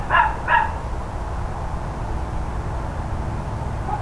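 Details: Neighbours' dogs at mid-morning, 13 October 2012, give two rapid barks half a second apart, followed by quiet with only a steady low rumble and a faint distant yelp.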